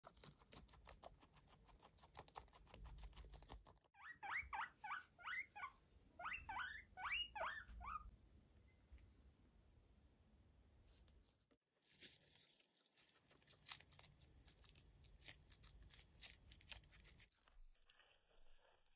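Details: Max, a pet guinea pig, lets out two quick bursts of high, squeaky rising wheeks, about ten in all over four seconds, with dry crunching and rustling before and after.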